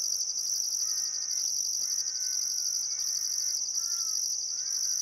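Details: Summer-evening crickets along the Barcoo River in Welford National Park, Queensland outback: steady piercing high chirping drone with rhythmic pulsed bursts above, while birds give short harmonic whistled notes roughly every second.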